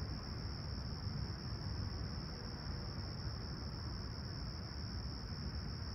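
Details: Crickets chirping on a clear, calm summer sunrise at Humber Bay Shores, Toronto, on July 28, 2020, at 20ºC: a steady, unbroken high-pitched trill holds throughout beneath a constant low rumble.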